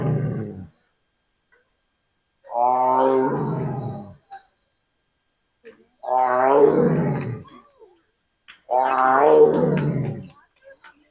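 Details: A Bengal tiger at the Bannerghatta Biological Park zoo gives a series of deep, rasping roars, each about a second and a half long.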